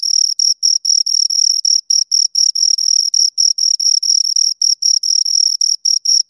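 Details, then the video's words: Pair of crickets stridulating near the microphone: sharp high-pitched chirps in quick succession, some pulses run together into longer rings, even loudness throughout and no background sounds. "Two Crickets Chirp Sounds for Two Hours Right on Your Ears"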